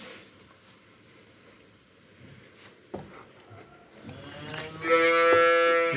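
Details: Young farm calf that keeps trying to chew a person's finger; after seconds of quiet rustling and a short knock, one loud, rich, harmonic moo sounds at the end, lasting over a second.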